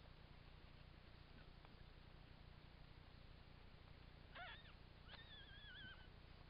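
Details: Tilly the Jack Russell Terrier's newborn puppies, four in her third litter, born 14 June 2009. A short high squeak is followed by a longer, wavering, whistle-like whine near the end, over a steady low hum.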